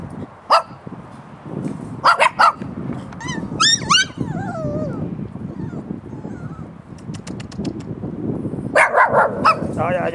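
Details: Sharp scattered puppy yips open and close the stretch, with a middle passage of thin, high whines that rise and slide downward, all over steady low rumbling background noise.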